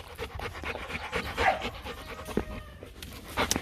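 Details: Rottweiler, one of two young dogs kept as breeding stock, playing with its owner; rapid, rough breathy panting in short bursts, with scattered thumps and brief human voices around it.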